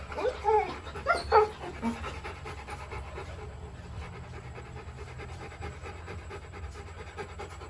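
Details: Rottweiler puppies in a kennel give two short, rising whines, then settle into soft, steady panting: Rottweiler.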